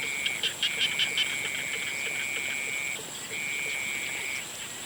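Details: Frogs calling at sunset: a few quick, clicky pulses open, then a long, steady, high trill runs almost two seconds, pauses briefly and resumes, over a constant thin high-pitched whine in the background.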